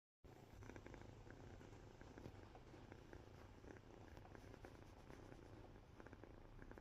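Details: A sleepy cat purring indoors: a quiet, steady, low rumble held throughout, with faint soft clicks and rustles above it.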